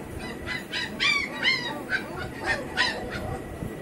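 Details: A litter of home-bred double-coat German Shepherd puppies gives short, high, arching yelps and whines, each a brief bent cry repeated about every half second. A constant low murmur sits behind them.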